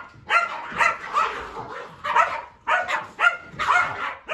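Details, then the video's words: Kumo, a Keeshond, going nuts while following his owner up and down the stairs indoors: a run of loud, harsh, yelping barks in bursts of two or three, about two per second, with short gaps between bursts. "Hilarious Keeshond Follows Daddy Up And Down The Stairs And Goes Nuts!"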